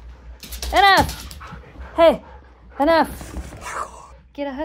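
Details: Siberian Husky during zoomies, excited indoor play with other dogs in a snowy-dog household; three arching, harmonic whines rise and fall about once a second, with a short higher yelp at the end and a woman speaking between them.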